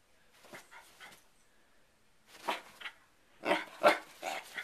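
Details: Agitated by the repeated snapping of a hair clip, the dog Sherlock lets out rapid clusters of rough, hoarse barks. They start soft and build into a louder burst near the end.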